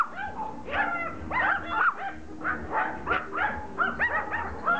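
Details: Several Pomeranians attacking a rugby ball, giving rapid high-pitched yips and short barks in overlapping bursts, some whining, rising-falling notes, with a steady busy chorus throughout.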